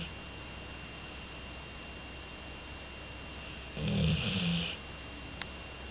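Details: Jolly, a two-year-old female Labrador Retriever, snores heavily in her sleep: a single rough, rumbling snore about a second long rises out of steady low room hiss and fades back to quiet.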